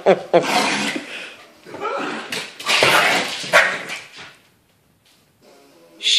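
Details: A 3½-month-old husky puppy and a two-year-old Yorkie-poo at play; a series of sharp, high yips and barks, several per second, with pauses between bursts, plus scuffling sounds and a person talking.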